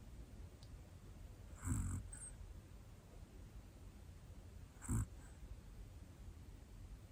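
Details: Sleeping one-year-old black Pomeranian female named Hana snores twice, each a short, deep, rattling breath, with a light snort just after the first and near-silence between them.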